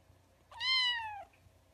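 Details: Kitten meowing indoors: a single clear, high meow lasting under a second, rising slightly then falling at the end, with rich harmonics and a faint low hum behind.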